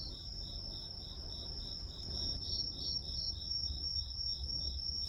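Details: Insect sounds for a study timer ambience: crickets give evenly spaced pulsed chirps, about three per second, over a constant high shrill trill, with low background rumble throughout.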